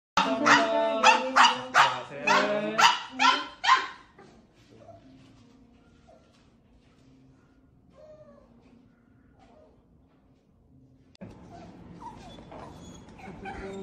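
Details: Dubu, a Maltese dog recovering from cruciate ligament surgery and spay with mammary tumour removal, cries during a hospital visit, wanting to go home with her owner: eight rapid high harmonic yelping whines in four seconds, then quiet and rustling.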